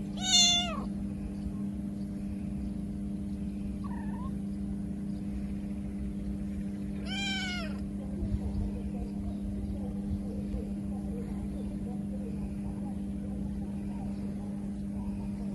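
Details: Kitten without its mother crying pitifully: a loud, high, descending meow at the start, a faint short mew a few seconds later, then another falling meow, with long quiet stretches of low hum between them.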